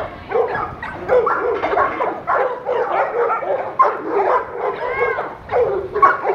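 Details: Large dogs in the pools giving a busy run of high yelps and barks, several tightly spaced bursts with a few whining, arched tones, the dogs' voices dominating over faint background sound.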